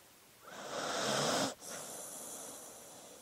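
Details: Sleeping dog giving a long wheezy, snoring-like breath of roughly one second, which stops sharply and gives way to a quieter, drawn-out breathy release.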